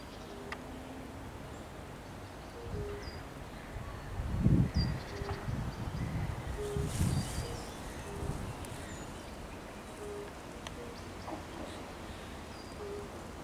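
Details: European fire-bellied toads (Bombina bombina) at the Raszyn Ponds, Poland, on 10 May 2021, giving soft, mellow 'oop' notes repeated steadily by several callers, with birdsong behind.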